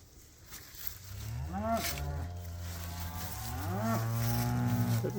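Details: A cow on winter pasture lows in long, deep moos that swell and slide in pitch.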